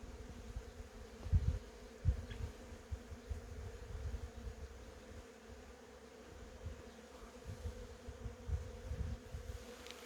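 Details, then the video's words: Steady, continuous droning hum of honey bees in cherry blossoms, level and unbroken, under soft low thumps of wind, with a couple of faint high bird ticks. "벚꽃과 꿀벌소리"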